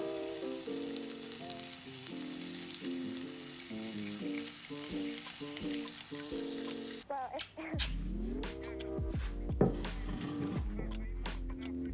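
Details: Food sizzles and is stirred in a hot pan over background music, with sharp utensil clatter in the second half.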